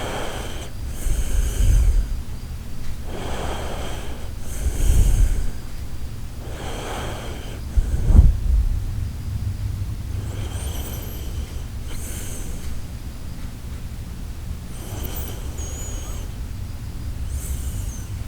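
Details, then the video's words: Sleeping Shiba Inu Koharu snoring with steady rhythm, a breathy rasp roughly every one and a half seconds, a few deeper snorty breaths early on, then softer, airier snores fading over a low hum. "柴犬小春 10:07タイタニック出航のいびき"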